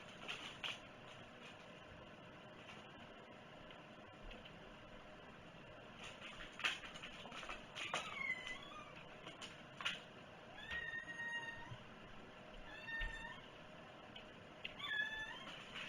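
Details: A cat meowing indoors: several short, rising-and-falling meows in the second half, spaced a second or two apart, over a steady background hiss with scattered clicks and knocks.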